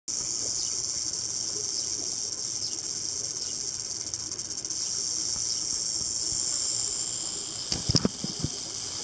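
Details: Rattlesnake rattling after getting seriously stuck near a house by the desert, before being freed: a steady, dry, high hiss-like buzz throughout, slightly louder toward the end, with a few brief low knocks near the close.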